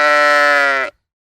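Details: Sheep bleating in a single sustained, steady, harmonic-rich call of just under a second, cutting off abruptly, with no other sounds.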